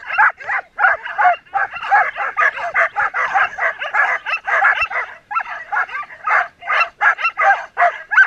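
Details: Excited Samoyed sled team of twelve dogs, Oberndorf race 2014, moving from stake-out place to start; continuous chorus of high yelping barks tumbling over one another, roughly two to three per second, with no pause.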